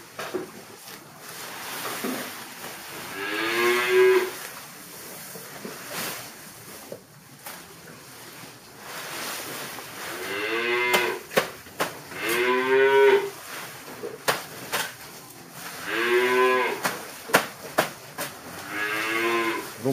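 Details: Dairy cattle in a farm shed in Kunak, Bogor, Indonesia, at feeding time with fresh grass given after concentrate; a series of four drawn-out, tonal moos spaced a few seconds apart over clattering and shuffling barn sounds.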